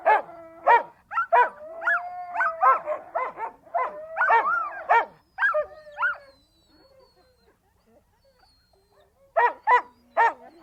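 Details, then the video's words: Siberian Huskies giving quick clustered barks mixed with drawn-out, wavering howling notes, a quiet pause, then a final burst of three sharp barks. "The sounds of Siberian Huskies"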